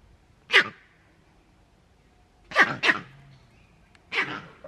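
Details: Green monkey male calling at Novosibirsk Zoo, 13 June 2023: abrupt, sneeze-like harsh barks, one single, then a quick double, then another, in a quiet enclosure; the leader's cry signals danger to the group.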